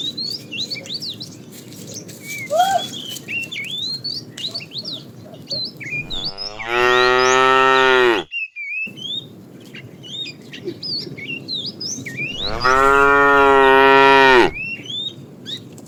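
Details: Tame cows driven out to grassy fields each morning, two long loud moos about six seconds apart, each roughly two seconds with strong harmonics, amid lively birdsong and chirping.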